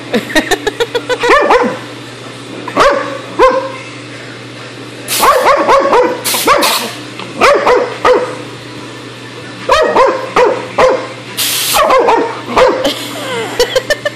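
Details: Dog freaking out at an air hose, loud rapid barking in bursts of several harmonic barks and yips, punctuated by hissing sprays of compressed air and a steady low mechanical drone.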